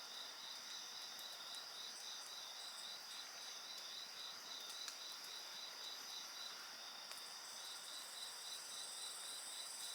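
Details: Insects singing beside a crackling bonfire, their chorus a dense, steady high shimmer with a rapid pulsed trill running beneath it without pause, while occasional soft snaps and pops of burning wood break through.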